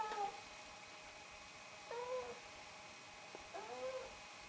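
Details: Quiet meowing from a Snowshoe cat of the pair named Nevada and Noodles, voicing greetings and requests for attention, food or a walk; three short, soft calls roughly every two seconds, each bending upward then sliding down.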